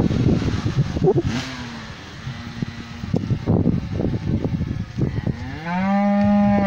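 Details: Cows in a pasture, with close snuffling and rustling and a faint low moo early on, ending in a loud, steady, harmonic moo from one cow nearby.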